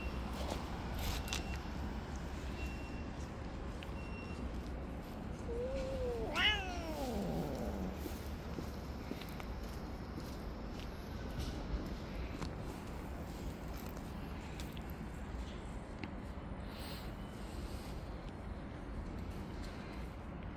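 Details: Street-living tabby cat jealously attacking and pushing away other cats that approach; a single drawn-out harmonic meow slides downward midway, set against steady low outdoor rumble with faint clicks.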